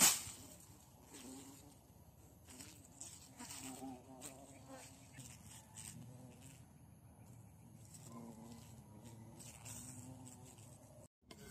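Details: Bees caught while out hunting insects in the bush, giving a low droning buzz with a steady hum and faint overtones, broken by scratchy rustling and handling noise.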